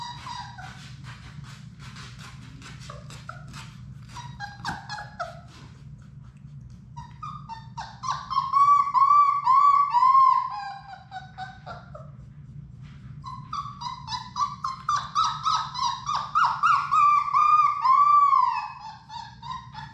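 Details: Six young Labrador Retriever puppies of Sadie's litter, playing together indoors in their play room: soft scattered squeaks at first, then two long bursts of rapid, rising-and-falling whiny yips strung closely together, with a low background hum.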